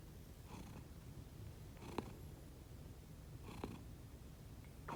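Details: Indoor sleeping cats Konbu and Myun, both rescued, give a quiet rumbling snore unlike their usual purr, steady low hum broken by two sharp breathy pulses roughly two seconds apart.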